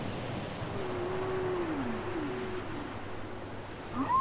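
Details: Whale song from a cassette recording: a low tonal moan that holds steady, then bends downward and repeats as a softer second moan, ending with a brief rising squeal, over a steady low hiss.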